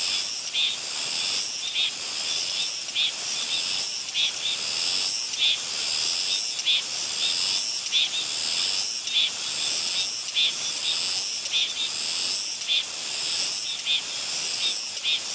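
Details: A Soyosan cicada on Muuido island, Korea, sings a steady, high, hissing buzz, pulsing roughly once every second.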